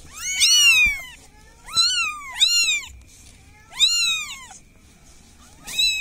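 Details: Village cat calling for help with bright, falling meows, two close together, then a longer gap before another and a final cut-off cry, over a soft steady background hum.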